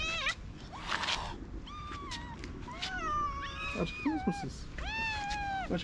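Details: Several hungry feral cats and kittens on a sidewalk meowing loudly for food and attention; many overlapping harmonic meows, some rising then falling, from different cats, with a woman speaking Turkish in between.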